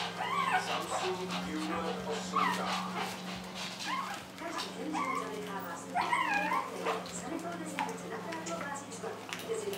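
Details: Shih Tzu puppies from litter B, 4.5 weeks old, give high, wavering whimpers that rise and fall, about one each second or two, over a steady low hum and human voices.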